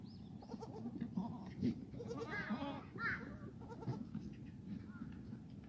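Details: Black goats on a farm in Gimhae, South Korea, in the exercise yard on a foggy Friday morning, 29 March 2019. Several short, rising, nasal bleats overlap in mid-clip against constant low background noise.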